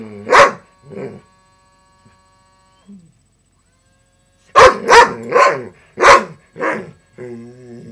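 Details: Female dog barking at a broken robotic frog toy whose motor runs loudly. A couple of barks, a long quiet stretch, then a burst of five rapid barks. The toy's wavering motor drone comes in at the end.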